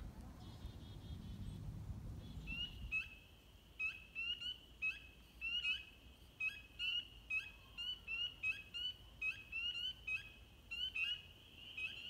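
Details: A chorus of spring peepers at Goat Hill, Northbridge, Massachusetts, in March: many high, clear, rising peeps overlapping in quick succession.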